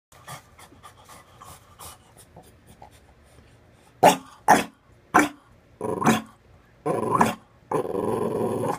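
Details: French Bulldog puppy indoors barking at its owner in the bathtub because it wants her out; soft snuffling at first, then four loud sharp barks about half a second apart, followed by longer harsh rasping barks and a sustained noisy burst.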